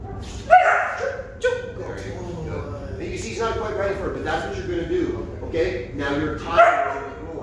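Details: Puppy barking on a marking cue while the handler waits for a second bark before coming in to reward. Three sharp barks ring out, two close together at the start and one near the end, with speech between them.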